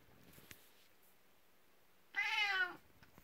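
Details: Nineteen-year-old elderly cat named Kuku, at bedtime indoors after coming out of its own room to welcome its owner, gives one clear meow lasting about half a second, with a level then slightly falling pitch and rich harmonics, over quiet room noise and faint rustling.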